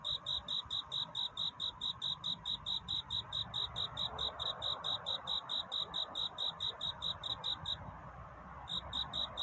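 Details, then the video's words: Cricket singing at night, a song of seeking love in courtship: sharp, high chirps repeated steadily about twice per second, with a brief one-second pause near the end before the chirping resumes. "편안한 잠을 부르는 귀뚜라미 울음소리. 슬퍼 말아요 우는 것이 아니라 사랑을 찾는 노래랍니다"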